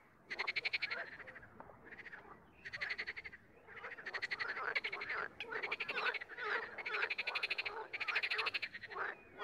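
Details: Croaking frogs that sometimes call as a chorus and sometimes alone: repeated bouts of rapid, rasping pulsed croaks, roughly every second or two, overlapping in places with a steady murmur beneath.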